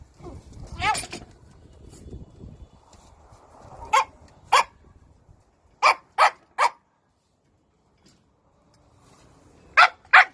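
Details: Shiba Inu, described as round like a raccoon dog, giving short sharp barks in scattered bursts, some single and some in quick pairs, with quiet gaps between; soft indistinct voices and low rumbling at the start.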